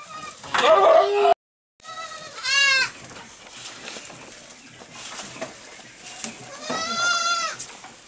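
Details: Small goats on a goat farm, eating grass quickly in the evening. Two wavering, nasal bleats are heard, one early and one near the end, over chewing and rustling, with a brief louder noise at the start.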